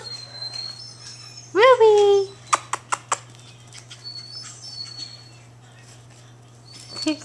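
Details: Two female long-coat Chihuahua puppies, Emerald and Ruby, playing together indoors: one sharp, loud yelp that rises and then slides down in pitch, followed by several dry clicks and taps and a woman's soft cooing voice.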